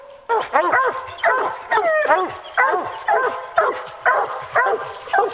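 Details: On a bear hunt, hounds keep up a rapid chorus of ringing bays, roughly two per second. One drawn-out, sliding howl comes near the second mark, between the short barked notes.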